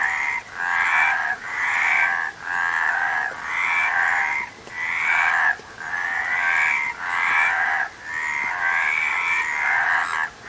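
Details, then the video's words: Frogs croaking in a dense chorus, overlapping pulsed calls packed between roughly mid and high pitch, swelling in bursts about once a second with brief dips between; no other clear sounds. "Frog Sound"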